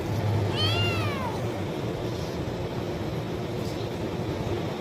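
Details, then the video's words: Single loud kitten meow begging for food, rising then falling and lasting under a second. Only a low steady hum follows. "Cat meowing sound effect - kitten meowing loudly for food"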